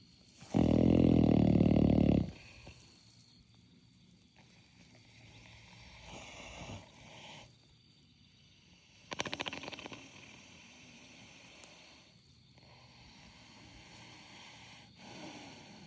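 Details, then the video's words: Horse snoring: a single loud, low, rough rumbling breath lasting almost two seconds near the start, followed by quiet stretches with faint rustles and a brief soft scrape. "Horse snoring"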